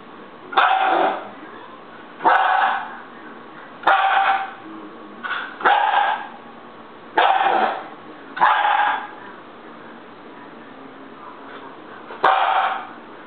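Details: Baby Siberian Husky kept as a pet throwing a tantrum: seven strained, bark-like yowls come in uneven bursts, some doubled, followed by a pause before one final cry.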